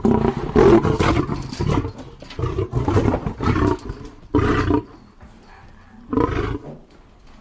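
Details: Deep lion roaring: a dense, loud rumbling burst at first, then three separate low, hoarse grunts spaced well apart with near-quiet pauses between them.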